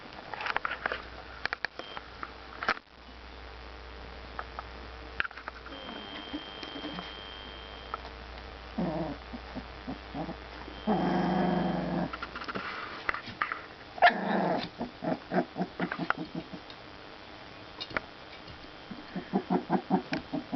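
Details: Four-week-old puppies from a 2009 litter tussling together in play: rough, low growling bursts, then short pulsed yips in quick runs toward the end, with scuffling patter of paws between them.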